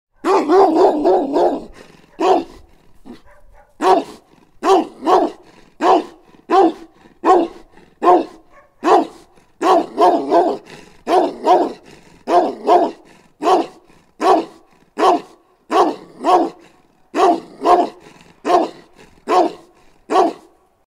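A bullmastiff barks in deep, heavy woofs, repeated steadily over and over.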